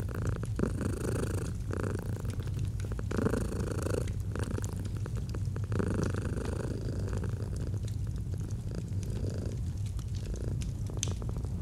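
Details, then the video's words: Continuous low rumbling purr of a domestic cat, warm and unbroken, with fireplace crackle and occasional soft mid-frequency rustling in the background of an autumn fireside scene. "Fall asleep to the Purring of a Cat"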